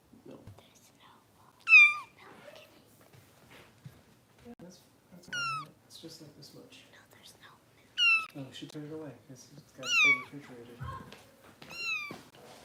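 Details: Kittens in a Los Angeles foster home being bottle-fed let out scattered high, falling meows every couple of seconds amid soft whispered human speech.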